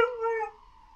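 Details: Pet dog giving a brief tonal howl that starts sharply, holds steady, then fades out within half a second.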